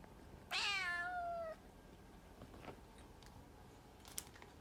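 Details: Domestic cat giving one clear, slightly falling meow lasting about a second, followed by quiet room noise with a few soft taps and clicks.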